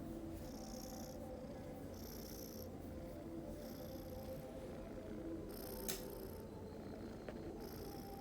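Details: Pet cat snoring: a steady low rumbling breath sound with soft hissy puffs recurring about every one and a half seconds, a faint click near the six-second mark.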